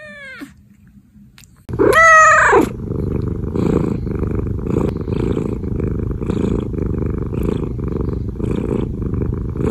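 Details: Pet cat giving one loud, wavering meow that rises and falls, followed by a steady low rumbling purr-like sound for the rest of the stretch.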